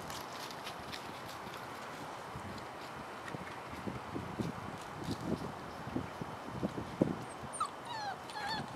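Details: Chloe and Jericho's puppies playing and exploring around their den, with thin high whimpers and short yips rising and falling in the last two seconds over a steady outdoor hiss and a few low thumps.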